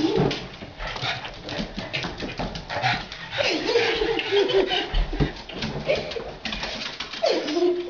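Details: Pug playing indoors with a balloon; several thin whining tones that slide up and down, mixed with rustling and thumping from the balloon play in a small room, with brief human speech.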